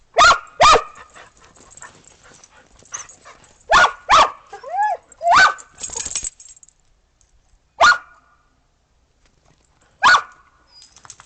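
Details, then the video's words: Dogs, Australian Shepherds and a Boston Terrier, playing in the snow after a snowstorm on 15 December 2022 while waiting for breakfast; sharp barks come in scattered pairs and singles, with a brief whine between them. "Snow Dogs Playing After The Snow Storm"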